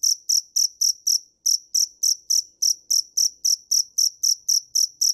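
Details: High, ringing cricket chirps from a dế mèn, about four a second, with two brief pauses breaking the otherwise steady pulse train; nothing else audible.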